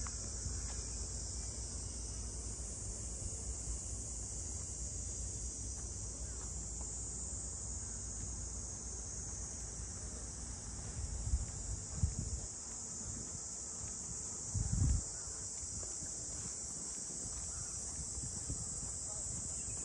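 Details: A cicada chorus fills the waterfront of Ine, north of Kyoto, with an even, high-pitched sizzling hum that holds steady from start to finish, broken only by a couple of dull low thuds.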